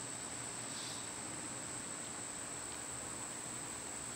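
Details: Summer cicada chorus, a continuous shrill buzzing whine at a constant high pitch, with a soft low rumble and one short faint chirp early on.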